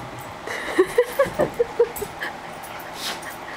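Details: Pet dog, one of three named Lola, Miter and Matilda, giving a quick run of six short, high yips over about a second and a half, trailing into softer whimpers against a low indoor hum.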